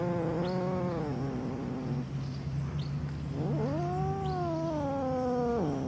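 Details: Angry cat giving a long, drawn-out yowl: a harmonic wail that sinks slowly and levels off, then swoops upward into a second sustained, slightly wavering howl before dropping abruptly. A steady low hum runs underneath.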